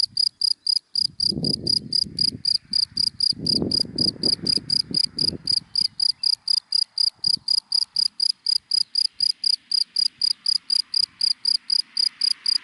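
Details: Steady high-pitched chirping of a cricket in dry daytime grass, pulses roughly four per second throughout, with a low rumble early on and a faint hiss building toward the end.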